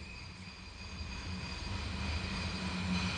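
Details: Steady broadband rumble and hiss with a faint low hum that slowly grows louder, and no animal voice.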